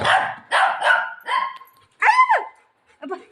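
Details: A golden retriever playing with a pillow and its owner at home, giving a run of short harsh barks followed by a higher whining yelp with a falling pitch, then a few softer yips.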